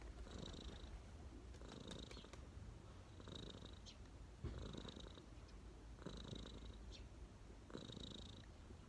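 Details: Contented street cat settled on a person's knees, purring in a low continuous rumble that swells regularly with each breath, about six cycles.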